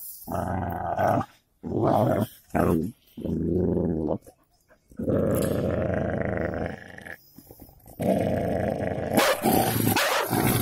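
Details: Fight between a golden Labrador and a cocker spaniel, with repeated deep growling bursts broken by brief pauses, then long continuous snarling growls with scuffling noise.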